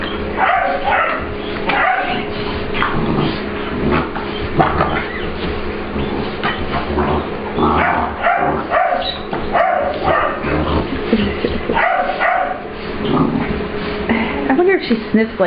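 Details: Puppy Ester, an English Bulldog/Pit Bull cross, plays with Layla, another dog, in a grooming room at work; a busy, nearly continuous run of growly barks, yips and scuffling noises sits over a low mechanical hum.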